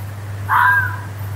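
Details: A single hoarse fox scream in woodland, drawn out and slightly falling before it trails off, set against a steady low background hum.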